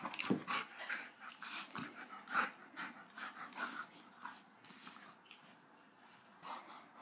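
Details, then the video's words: Dramatic Golden Retriever puppy huffing and panting in rapid breathy bursts, loudest at the start and gradually fading over several seconds, with a brief thin whine near the close. "Golden Retriever Puppy - So Dramatic!"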